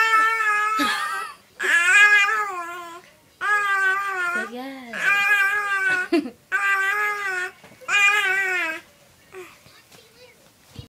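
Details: Cassidy, a cat, making noise while hearing herself: six long, drawn-out wavering yowls with a rich harmonic tone, each lasting about a second and separated by short pauses. One call sits lower and bends up then down.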